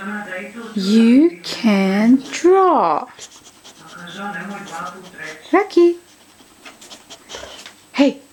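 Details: Rocky, a 2-year-old pet boxer dog indoors, eager to draw, gives bent, wavering whine-like moans in bursts during the first three seconds, then shorter yelps, while a person repeatedly talks to him about drawing.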